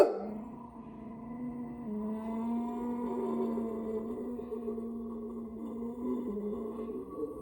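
A Boxer gives a long, steady growling howl that wavers slightly in pitch but holds for several seconds.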